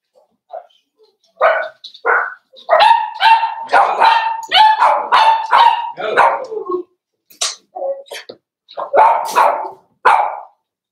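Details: Daisy's Cavalier King Charles Spaniel puppies, four weeks old, in a puppy pen, yapping in a near-continuous run of high, harmonic barks and whiny yelps, roughly two per second, pausing briefly before a last burst.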